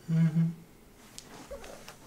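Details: Heliana the cat gives a mrrp while walking to her room indoors: a short low two-part rolling trill in the first half-second, then quiet room sounds and soft footsteps.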